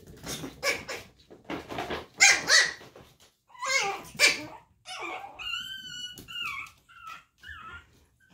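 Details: Chihuahua puppies from Daisy's litter indoors, giving a run of sharp, high yapping barks followed by several thin, wavering whines and squeals, rapid and irregular over about eight seconds.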